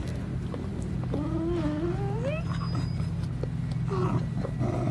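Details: Kooikerhondje puppies of the Vom-Veenufer G litter, eight weeks old, give thin wavering whines that slide upward in a few drawn-out squeaks, a short high note near the middle, all over a steady low droning hum.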